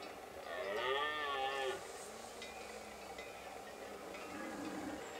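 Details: Stag of the red deer bellowing in the Pyrenees at the end of September, the breeding season, on mountain summer pastures. One rough, harmonic roar lasting about a second, then a softer low call over a steady outdoor hiss.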